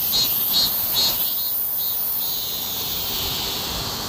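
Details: Cicada song during a summer heatwave: a dense, high-pitched buzzing drone, pulsing in three loud beats in the first second and a half, then settling into a steady continuous shrill hum.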